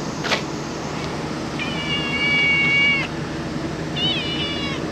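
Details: Stray cat in Japan giving a drawn-out meow of over a second held at a steady pitch, then a shorter wavering meow, with a soft tap near the start and a constant low hum behind.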